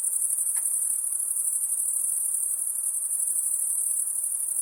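A steady, very high-pitched insect drone hums without pause through the night.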